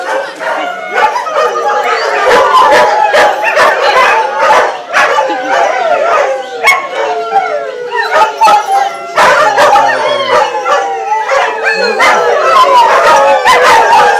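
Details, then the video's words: Group of adopted greyhounds singing together at a 2010 picnic in Atlantic Canada, a chorus of wavering howls mixed with sharp yips and barks, rising and falling in overlapping waves, with a faint human voice. "Greyhounds singing!"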